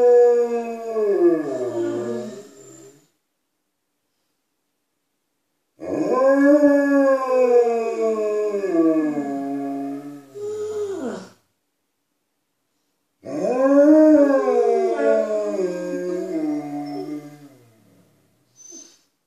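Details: Alaskan Malamutes Tuvaaq and Aanaga inside the house, calling to people outside: three drawn-out rich howls of several seconds each, wavering then dropping in pitch, separated by short pauses.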